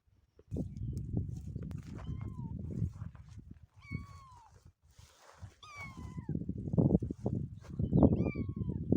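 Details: Motherless kitten mewing: about five clear, high meows that slide downward, with bright harmonics, spaced one to two seconds apart, over heavy low rumbling from handling or wind.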